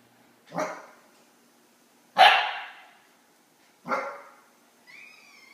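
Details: An 8-week-old male Akita puppy barks at a cat sitting on his crate, giving three sharp, husky barks spaced about one and a half seconds apart.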